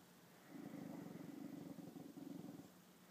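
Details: Meeting her own reflection in a mirror for the first time, the female dog Chanel gives a low, throaty, rattling growl of about two seconds, with a brief dip in the middle before it resumes.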